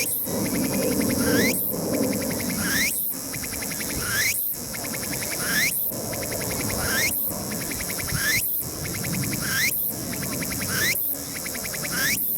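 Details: A Tsukutsukuboshi cicada, heard but never seen, sings loudly on the sunny summit of Mt. Ino in Umi, Fukuoka, on 21 September 2022: upward-sweeping buzzy phrases and trains of pulsed notes recur about every 1.4 seconds above a steady insect background.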